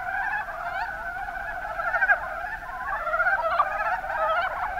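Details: Mountain brown frogs in Kumamoto, Japan (Kuma Basin), call together in a thick chorus of fast, knocking croaks, with a few louder individual calls standing out near the middle and end.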